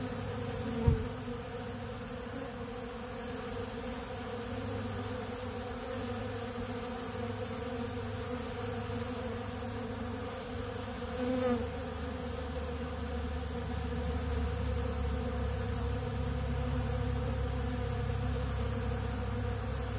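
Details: Honey bees working a big blue feeder of ultra bee pollen; a sustained deep drone of massed wingbeats that grows slightly fuller near the end, with an early sharp knock and a soft bump midway.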